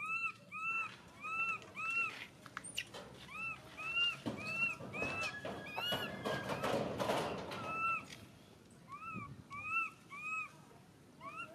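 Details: Crying baby monkey giving short arched, whistle-like wails repeated about every half second, with a louder burst of harsher screaming and rustling in the middle.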